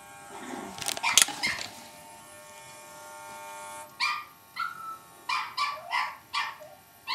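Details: Cavalier King Charles Spaniel puppy facing an electric shaver: several seconds of buzzing from the shaver, then a string of about seven short, high yaps spaced under a second apart.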